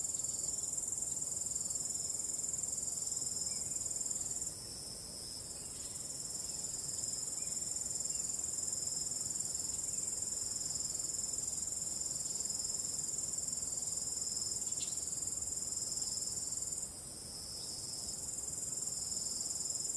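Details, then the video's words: Night-time cricket chorus under starry skies: an unbroken high-pitched ringing trill, dipping in loudness twice and recovering, with a gentle low wind hiss throughout. "ambient relaxing cricket sound"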